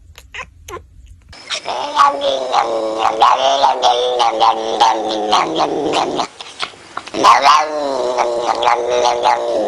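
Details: Domestic cat making weird noises: a long series of loud, harsh, wavering caterwauls and growling yowls, rising and falling in pitch with short breaks. A brief silence near the middle is followed by another strained wail.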